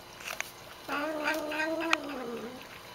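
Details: Pet cat, a female, vocalising as she drinks water indoors, which she does every time she drinks; one drawn-out nasal meow about a second and a half long, rising at the start and then holding level in a small room.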